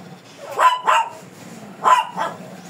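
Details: Two quick pairs of sharp barks from a fierce Shih Tzu during grooming, each pair close together, with a short pause between.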